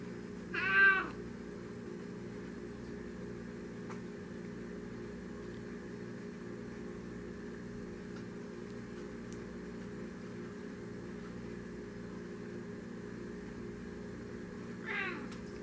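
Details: A polydactyl Maine Coon cat gives two short, chirping meows, one at the start and one at the end.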